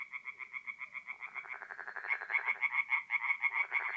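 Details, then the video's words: Night chorus of tree frogs at a forest pond in north-east Italy, mid-April: a steady series of quick nasal croaks, roughly three per second, joined by a second louder, sharper caller overlapping midway. "relaxing forest pond by night with singing tree frogs"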